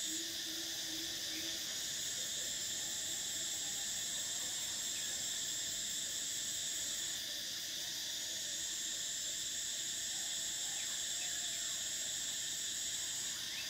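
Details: A summer chorus of cicadas, the sustained shrill buzzing unbroken for nearly fourteen seconds, its highest strand dropping out briefly midway and returning, with a low hum faintly audible at the start.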